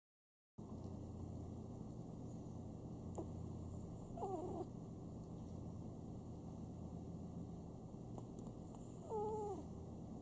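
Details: Sam, a pet Chihuahua at home, snoring: a steady low rumbling breath sound runs throughout, with two brief squeaky whining notes that slide downward around four and nine seconds in a quiet indoor room.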